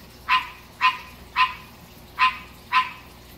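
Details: Green tree frog kept as a pet, a male singing at night: five short, raspy croaks spaced roughly half a second apart over quiet background hiss.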